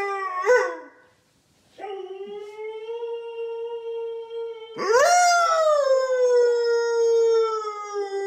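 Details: A male Siberian husky, most talkative in the morning, gives long, steady howls after a brief yelp while his owner howls along in a duet.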